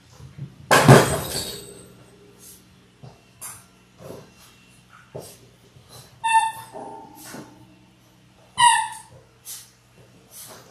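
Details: Indoor pen of six Labrador Retriever puppies in their sixth week, born January 18, 2022; a loud clatter opens, then short high-pitched whines and yelps with clear harmonics sound twice amid soft movement noises.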